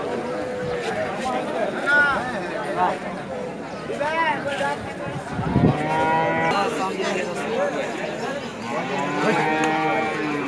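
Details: Friesian heifer calves about 13 months old at a cow market in 2018 give repeated mooing calls, some rising and falling, some overlapping. Market chatter and people talking are heard in the background.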